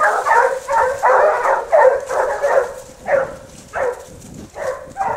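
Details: Basset Hounds of the French Rallye de l'Allagnon line baying while following a scent trail: a pack chorus of rich, tonal barks, continuous at first, then spaced into separate yelps roughly every half second.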